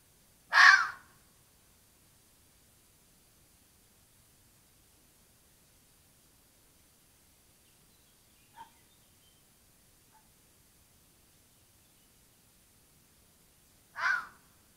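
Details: A red fox gives two harsh, hoarse calls about thirteen seconds apart, with near silence between, recorded by a camera trap in the Apennines, Italy.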